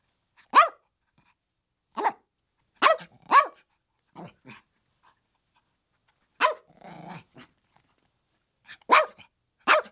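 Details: Several Chihuahuas give bright, clipped yaps, some doubled. A brief raspy, growl-like sound follows partway through, then more loud barks near the end.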